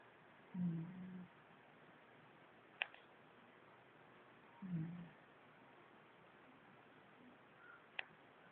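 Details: Kana, a 12-year-old female Shiba Inu described as an old dog, sleeps indoors and hard to wake. Two low, rumbling snores come about four seconds apart over a quiet room, with a couple of faint sharp clicks between them.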